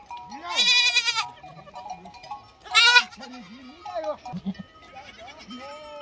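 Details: Lambs bleating: two loud, harsh, quavering bleats about two seconds apart, with softer low voices, steady background tones and faint talk between them.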